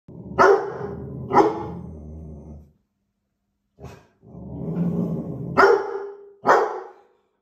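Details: A Chinook (young male, born February 2021) and a female Labrador Retriever bark at a squirrel on the roof in Scotland, July 2021: loud, sharp barks in short bursts with rumbling growls between.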